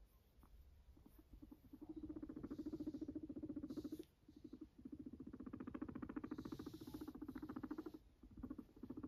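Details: Max, a fluffy pet guinea pig of sheltie or silkie type, gives a low, rapid pulsed rumble in long stretches with brief pauses, a buzzy vibrating purr repeated several times per second, some faint rustling above.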